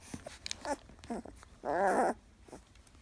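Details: Fourteen-day-old puppies from Bella's first litter, a Labrador Retriever dam crossed with a German Shepherd sire, indoors. Several short squeaks lead into one loud, sustained, wavering whine of about half a second, then a faint squeak.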